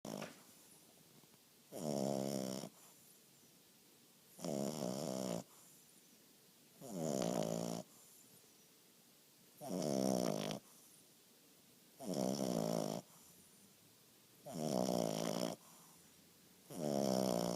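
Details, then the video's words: English bulldog puppy asleep indoors, snoring in a steady rhythm: eight long, rasping, harmonic snores, each about a second long and roughly two and a half seconds apart, with quiet pauses between. "English bulldog puppy snoring"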